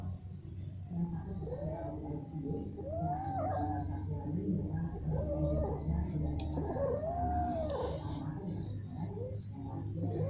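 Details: Domestic cats mating, repeatedly and at length: a series of drawn-out, arching yowls that rise and fall, several in a row over steady low rumbling background noise.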